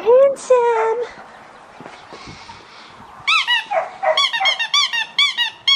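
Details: Young male Australian Shepherd puppy, blue merle, aged four and a half weeks, from Matilda and Jackson: a drawn-out squeaky whine, then a rapid string of sharp high yips, roughly two per second, loud and close.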